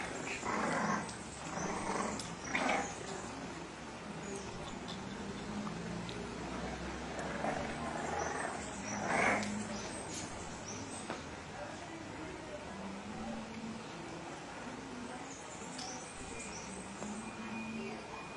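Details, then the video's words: Bulldog giving low grunting growls, with short rough bursts near the first, third and ninth seconds over a steady low rumble and constant background noise. "New Funny Bulldog"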